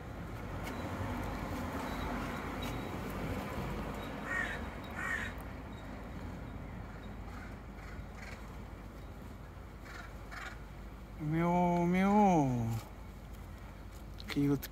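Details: Cat walking on a roof gives one loud, quavering meow that wobbles up and down before dropping away, followed by a brief clipped call. Faint crow caws sound earlier over low steady background noise.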